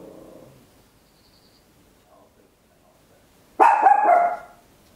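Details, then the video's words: Small Papillon dog recorded indoors at home with an Olympus LS-11 in stereo: a faint low murmur at first, a long pause, then one sudden loud bark with a sustained ringing tone that tails off. "Tiny Dog Barking Very Loud, Papillon"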